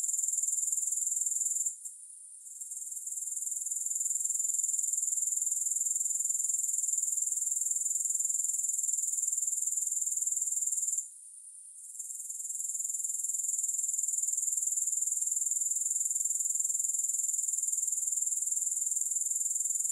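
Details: Grasshoppers without music: a steady, very high, shrill hiss pulsing about four times per second, cutting out briefly twice and swelling back. No other sounds.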